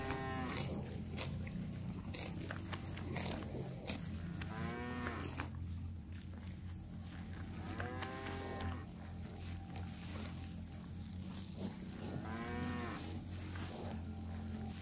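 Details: A cow grazing on fresh grass in a grassy park gives deep, drawn-out moos at intervals of a few seconds over a steady low rumble.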